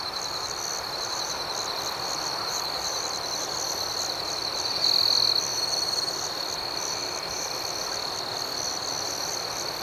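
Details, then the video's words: Nocturnal cricket trilling, bright and sustained, with rhythmic chirp pulses overhead and a single loud half-second burst from a nearer insect about halfway through. "Soothing Cricket Sounds"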